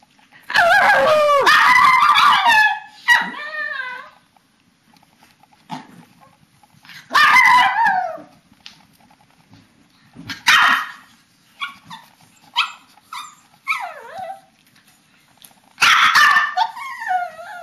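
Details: Pet papillons and a shih-tzu vocalizing together during their bedtime ritual, March 2007; loud drawn-out yips and wavering howl-like calls come in bursts of one to three seconds separated by short pauses, with quieter whines between.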